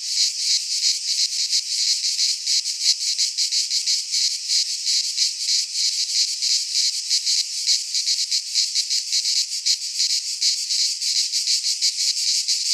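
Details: Cicadas singing in midsummer in a Greek pine forest: a dense, continuous buzzing chorus, high-pitched and rasping, pulsing rapidly about three times per second with no pauses and no other sounds.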